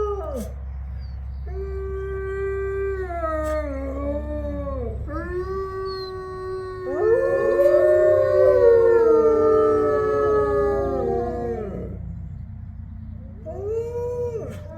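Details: Captive-born gray wolves of a main enclosure pack howl together in long sliding tones rising and falling, several voices overlapping into a chorus, with howls from neighbouring wolf enclosures also audible.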